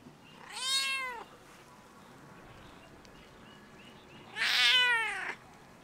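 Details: Stray cat perched on a fence on a closed campus, meowing at a person: two loud, clear meows about three and a half seconds apart, each arching up then dropping, the second stronger and slightly raspy.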